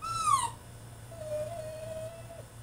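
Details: French Bulldog throwing a tantrum in his cage: one sharp, high whine sliding downward in the first half second, then a faint, long, steady whimper held near one pitch, over a low indoor hum.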